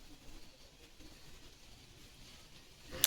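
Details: A quiet room with faint background hiss, ending in one sharp click; no animal is heard.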